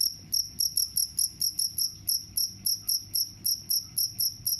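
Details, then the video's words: Cricket sound, described as repelling mice: clear, high trilled chirps repeated a few times per second at a fairly even pace, with a faint low background murmur. "The sound of crickets can repel mice"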